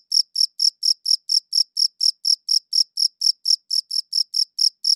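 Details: Cricket chirping, high-quality recording: clean, high-pitched pulsed chirps repeated steadily about four times a second with a bright upper overtone, no other sounds.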